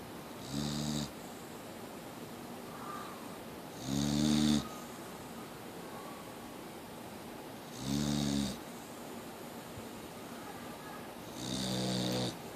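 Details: Sleeping Boxer dog Mia gives four steady, loud snores, each a coarse, rumbling inhale with breathy hiss, repeating about every three and a half seconds in a quiet indoor setting.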